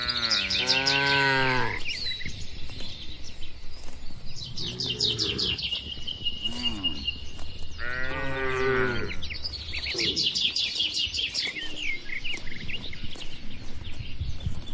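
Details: Dozens of tame cattle in a large farm barn mooing: long harmonic-rich moos near 0–2 s and 8–9 s with a shorter one around 5 s, over steady chirping birds and a constant low background hum.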